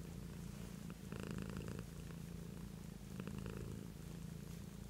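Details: Domestic cat purrs without pause in a room, a deep, even vibrating rumble that grows slightly louder in two brief surges.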